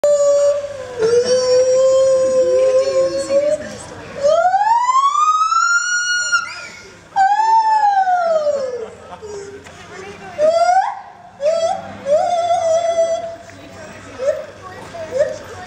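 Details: Gibbon at Copenhagen Zoo calling loudly: long tonal hoots that sweep up and then down in pitch, with steady sustained notes between the swoops and clear pauses between phrases.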